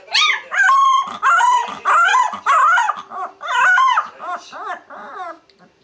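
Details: Puppies learning to howl: a run of high, wavering yelping howls with strong harmonics, about seven rising-and-falling bursts in quick succession, each under a second long, with a steady faint hum underneath.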